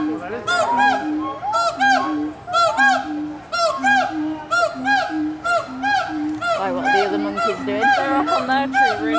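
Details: Gibbons at Walt Disney World's Animal Kingdom, 2018, call to each other, trading loud hooting whoops that swoop up and down and overlap about once a second.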